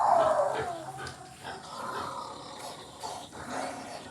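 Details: Wild pig inside a house, described as bold; a harsh descending squealing cry opens the recording, followed by fainter rough grunting and scraping noises against a cluttered indoor background.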